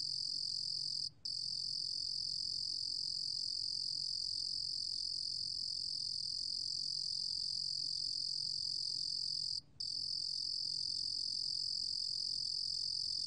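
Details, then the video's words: Cricket known in Korean as 루루곰귀뚜라미, recorded in 2020 by the National Institute of Biological Resources: a long, even, high ringing trill with only two quick breaks, otherwise constant throughout. "루루곰귀뚜라미, 여러번 듣기, 곤충소리"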